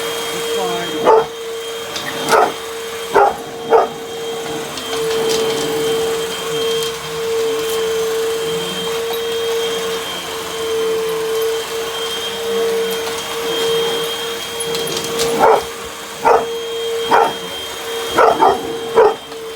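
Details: Dog attacking a vacuum cleaner with scattered sharp barks at the start, then a long stretch of only vacuum drone, before a fresh flurry of quick barks near the end.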